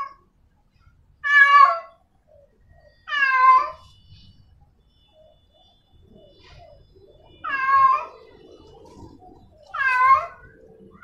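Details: In heat, a female cat calls for a tomcat with four long, quavering yowls spaced irregularly, with silent gaps of two to four seconds between them. Soft low background noise.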